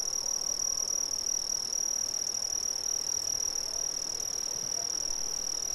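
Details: Chorus of crickets from Brazil, an even, shrill, continuous trilling tone with no pauses, accompanied by a faint higher ringing band and low background hiss.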